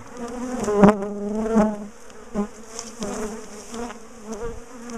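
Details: A big bee colony in a top bar hive, being dismantled, split and moved after ambushing and chasing its owners down the garden. A low, steady buzz swells and fades, with sharp knocks and clicks from bars being handled.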